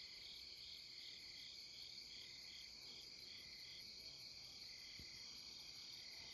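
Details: Night insects chorus along the Deuldeul riverside in Nampyeong in late September, a dense steady shimmer of several overlapping high trilling voices, some pulsing gently, with one faint click near the end.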